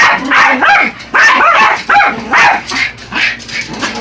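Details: Yorkshire Terriers Buddy and Elmo attack a remote-control truck, giving sharp, high-pitched barks spaced roughly every half second to second, each ringing with a slightly whiny edge.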